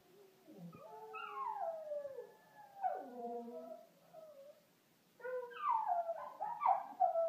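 A Lhasa Apso howls in long, wavering, whining notes that slide up and down.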